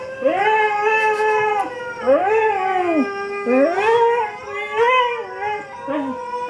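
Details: A female Siberian Husky gives a series of rising and falling, tuneful howls, each about a second or more, "singing" while watching dog videos on YouTube.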